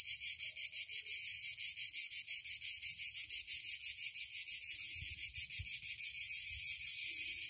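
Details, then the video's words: Cicadas in southern Italy in a loud, shrill, pulsing buzz that throbs about three times a second without a break, with faint low rumbles underneath. "Suoni del sud: Il frinire delle cicale / Sounds of the South: Cicada chirping"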